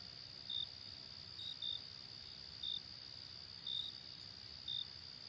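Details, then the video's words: Crickets in a field on a summer night: short, high, clipped chirps about once a second, slightly irregular, over a steady unbroken high-pitched trill from other crickets and a faint low rumble. "Crickets in the field"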